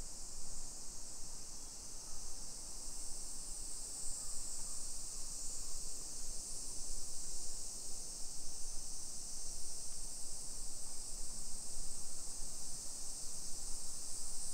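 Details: A summer cicada chorus along hillside streets of Nisshin city, Aichi Prefecture, Japan, 1 PM, 28 July 2021: a continuous high-pitched droning hiss lasts the full stretch, swelling slightly midway, with low rustling and footstep noise beneath.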